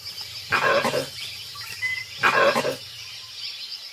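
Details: Langur sentry high in the trees raising the alarm as a tiger approaches: two harsh, raucous bursts about 1.7 seconds apart, over a steady high insect-like hum.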